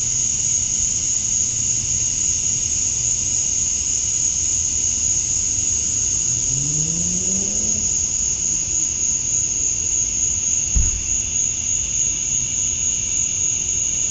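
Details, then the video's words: Summer-dusk chorus of male cicadas in Georgia, USA, calling to attract females. A continuous high, even whine fills the recording while a passing engine briefly rises in pitch midway, followed by a single soft knock. "Cicadas at Dusk, Summer Night"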